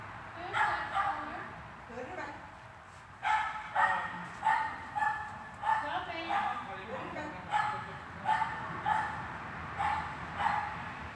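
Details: Swiss dog at training in a hall, 13 August 2021, barking in two bursts: a few barks early, then a long run of about a dozen sharp barks close together after a short pause, over indoor hum.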